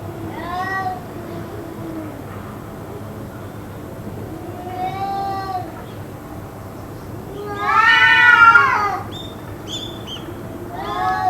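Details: Cats howling continuously, perhaps fighting, for about two hours; softer wavering yowls build to one loud, rough, strained wail near the end, over a low murmur of background noise.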